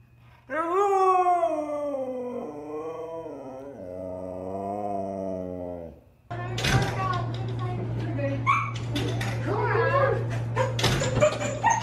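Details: Siberian Husky "talking" in a drawn-out, wavering howl of about six seconds, its pitch swinging up and down in rich harmonics, followed by a clattering jumble of noises and voices.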